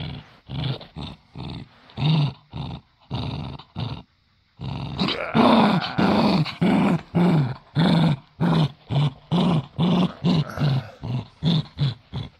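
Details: Domestic dachshund in a tug of war game, reluctant to give up his toy: steady rhythmic low growls in short pulses, briefly pausing, then a louder, harsher stretch of growling.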